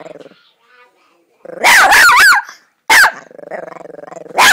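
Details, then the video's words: Chihuahua named Bear, a small dog, letting out a burst of loud sharp barks, a single bark, then a low throbbing growl leading into another bark. "Small dog big growl"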